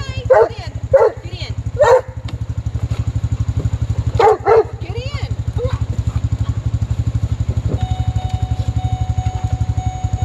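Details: Male Doberman Pinscher yelling because he wants to ride on a vehicle rather than run through a puddle. Short, harmonic, wavering yelps come in quick bursts near the start and again around four seconds. A steady engine drone runs throughout.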